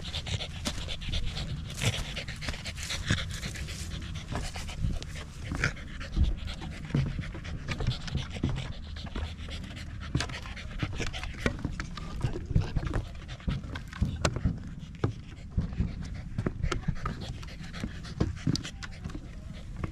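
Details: A corgi pants steadily while hiking a small rural mountain near Jinbagata-yama in Japan on a sunny autumn day, with views of the central Alps and Ina Valley. Low, rapid breaths repeat throughout, with scattered footstep-like knocks.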